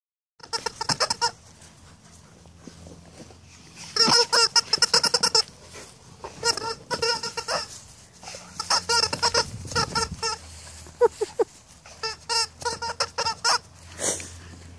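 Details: Two female Alaskan Malamute cousins play-fight in a big yard, giving high, whiny yips and squeals in quick, uneven bursts. One weighs 125 pounds and the other 65 pounds.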